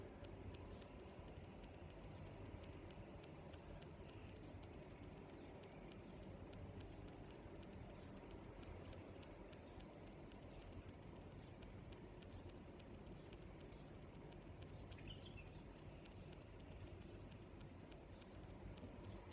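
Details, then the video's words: Crickets calling in a natural outdoor scene: continuous high, pulsing chirps with frequent sharp ticks, steady throughout, and a faint low hum of background noise. "Sounds of Crickets"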